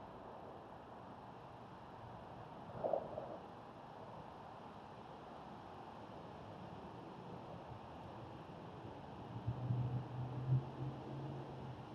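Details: Steady low rumble of distant traffic and wind, with a brief knock near three seconds and a muffled thump later; no animal voice stands out.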